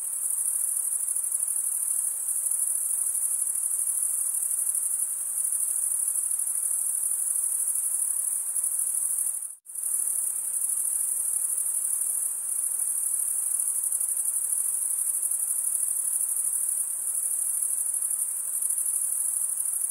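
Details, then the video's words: Chirping crickets, mainly males stridulating with their wings, give a constant piercing high trill that breaks off into a second of near silence about halfway through, then resumes unchanged at the same steady loudness. "Most relaxing cricket sound for 8 hours"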